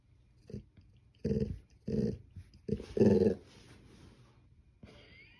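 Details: Golden Retriever growling to get more attention indoors; a series of five low, rough growl bursts, each under half a second, rising to the loudest near the end, then quiet.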